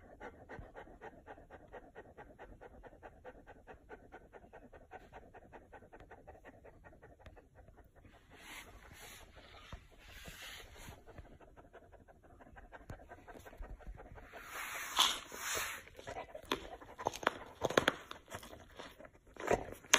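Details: Fluffy Chow Chow called Chow, given a big ice block on a very hot day, pants in rapid, even rhythmic breaths, later joined by louder irregular crackling and clattering noises.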